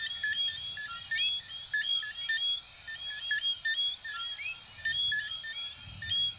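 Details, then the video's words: Many coquí frogs, from Venezuela and Puerto Rico, produce clipped whistled notes and rising slides in a thick continuous chorus, with a soft low thump near the end. "Sonidos de Ranitas de Venezuela 🇻🇪 y Puerto Rico 🇵🇷 "Coquí""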